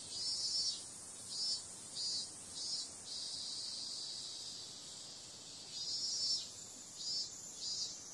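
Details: A summer-night cicada chorus, said to include periodical cicadas, gives a continuous shrill buzz. It rises into rhythmic pulsing surges about half a second apart, then eases to a flat drone before pulsing again.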